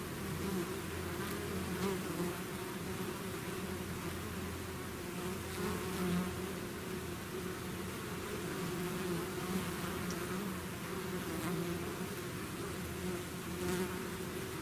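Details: Swarm of bees pouring out of a hive, producing an unbroken, layered buzz of countless wings; the low hum stays even while faint passing bees swell and fade now and then.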